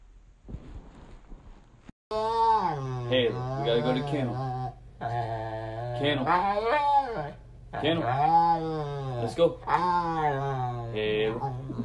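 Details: Siberian Husky being dramatic, giving long wavering vocal moans that rise and fall in pitch, in three drawn-out bursts after a brief quiet start, with no other clear sounds.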